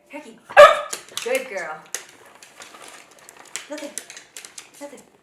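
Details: A Cavalier King Charles Spaniel being clicker-trained to bark on command, excited by a chase around a kitchen island, gives a sharp, high bark, followed by softer yelps and a person talking.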